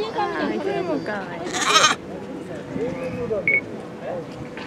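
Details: A black lamb born on 21 May, recorded in June 2017 at Chiba Zoological Park, gives a quavering, wavering bleat while held away from its mother, with people's voices and a brief clatter nearby.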